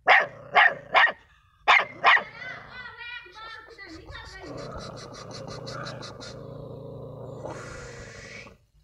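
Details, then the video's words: Dog barking: five sharp, loud barks in two quick bursts, followed by softer whining tones and a lingering steady background hum. "dog barking"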